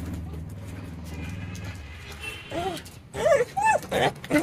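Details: Stray dog, one of two, a black dog crying while the other jumps on a person; a low droning hum first, then a quick series of high, arched whimpering whines in the second half.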